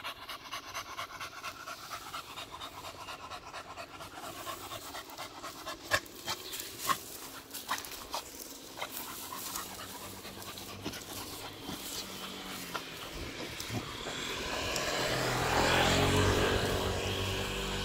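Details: Beagle pausing at grass during a morning walk, panting fast and evenly, close to three breaths each second, while a broad rushing noise swells loudly toward the end.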